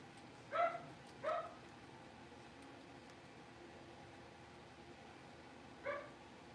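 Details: Blenheim Cavalier King Charles Spaniel puppies from a litter of five born to Paris and Spike at New Year, settling into a larger puppy pen. Three short, high yipping barks: two close together, a pause, then one more, over faint room hum.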